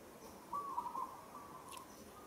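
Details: Monkey Moka, roughly held by another monkey named Sada in Kampong Cham Province, Cambodia, struggles and calls: one tonal, wavering cry near mid pitch lasting about half a second, with faint background hiss.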